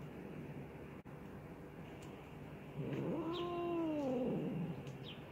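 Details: Angry mother cat reacting after her tail is touched: a single low, drawn-out, moaning yowl that rises, holds, then sinks over about two seconds, over a quiet room hum with faint clicks.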